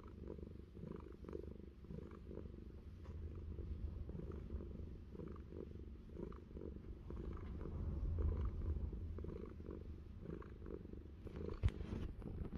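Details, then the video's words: Fluffy, a cat living on an orchard in New Zealand, purrs while having an ear scratch: a low, steady rumbling purr pulsing throughout, with faint soft rustles of the scratching on top. "Fluffy having an ear scratch and purring"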